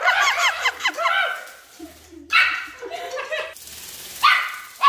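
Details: Chihuahua attacking a flying toy bird, opening with a quick run of high, chirpy yips over about a second, then a short lull before sharp, yappy barks burst out in the middle and again near the end.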